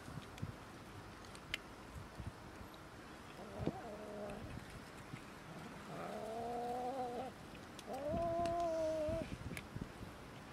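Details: Cats and a kitten quarrelling over food: three drawn-out, wavering harmonic yowls, each about a second long, rising slightly then holding steady, separated by short pauses, over a low background hum with occasional clicks.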